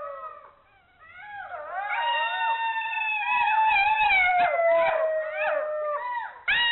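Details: Golden jackal howling, in Hungary; several voices rise together into long wavering howls that slide slowly downward, overlapping, with sharp yips breaking in near the end.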